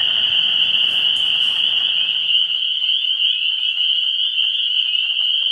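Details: Frogs in full chorus at a vernal pool in early spring, 17 March 2016: a shrill steady wall of high calls, a brief airy higher sound near the first second, and a few individual peeps standing out later.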